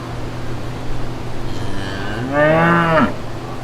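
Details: Brown cows with their calves in a green pasture: after a quiet lead-in with a faint early lowing, one short rich moo rises then drops away near the end, over a steady low hum.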